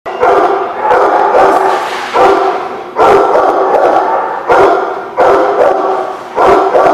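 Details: Dogs at The Barking Lot, recorded 10/7/17, giving loud, dense bursts of overlapping barks and yips in repeated waves, several dogs calling at once with brief dips between volleys.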